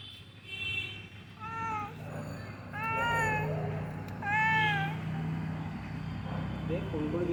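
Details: Misty, cold morning on a building's ground floor: a found cat meows three times, each a bent, drawn-out cry, while a person speaks quietly and low traffic-like rumble continues.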